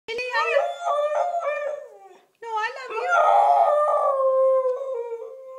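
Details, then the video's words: Young Siberian Husky indoors howling back in a talking manner, as if saying "I love you": two bursts of wavering, vowel-like tones with rich stacked harmonics, pitch bending up and down, a brief pause between them. "Lilly the husky says "I love you.""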